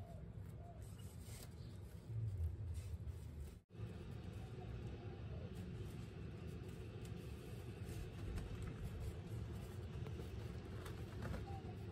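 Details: Low, steady rumble of traffic fills the recording, with faint music and speech beneath and a brief drop to near silence around the fourth second.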